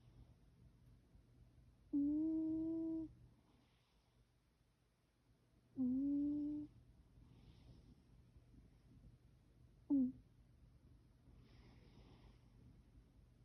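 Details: Orange domestic cat making a weird sound while asleep indoors: three steady, tonal, hum-like whines, the first about a second long, the second shorter, the last a brief clipped chirp, spaced roughly four seconds apart over a faint low background hum.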